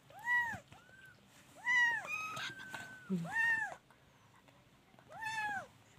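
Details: Kittens mewing with arched, rising-and-falling calls spaced a second or more apart, mixed with a thin high squeak and human voices talking softly in a room with steady low hum.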